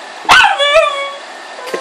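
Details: Bug, a Pug and Boston Terrier mix, while playing for a toy: one sharp yelp sliding into a drawn-out whining tone that fades, followed by a faint short sound.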